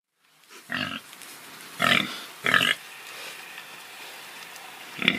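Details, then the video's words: Domestic pig giving short rough grunts, three main bursts spaced about a second apart and a fourth at the end, broad and noisy with quiet gaps between. "Pig sounds, pig oinking, pig grunting"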